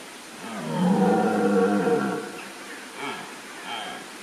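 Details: A red deer stag roars in a German wildlife park in the Rhön in early morning, while still dark: a deep, drawn-out roar, then two short grunting follow-ups.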